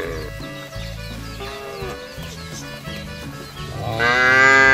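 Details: Herd of tame cattle grazing freely on broad village grassland, raised for fattening: faint low lowing under a steady musical backing, then one strong, full-throated moo swelling at the close.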